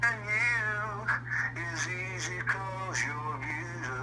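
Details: A dachshund missing his owner howls along with him over the phone, singing his favourite song in long, wavering, mournful phrases that slide up and down in pitch, over a steady low electrical hum.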